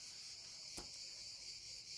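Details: Cicadas sing a steady, high, shimmering buzz without a break at 9 pm on a hot evening of about 35 °C, with only a slight breeze.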